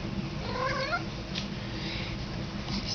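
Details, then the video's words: A pet cat said to be talking, in a small room: a short, wavering, trilled meow near the start, then low room hum while a woman coaxes it to say hello. "cat talking"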